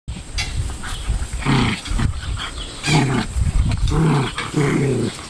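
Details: Two Pomeranians play-fighting, giving short throaty growls in bursts about every second, with snarly rasping edges and low rumbling between them.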